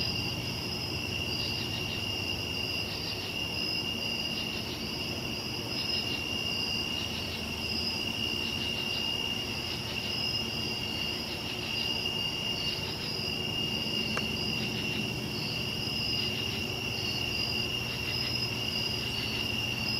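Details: Crickets on a summer night, a dense steady chorus of high pulsed trilling in two bands, continuous throughout with a low background hum.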